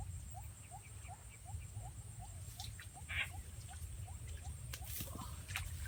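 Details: Frogs in the rural countryside of Rizal, Philippines, answering a played frog sound as they are caught: a fast run of short, rising chirps, about four a second, with a steady high hiss and scattered clicks.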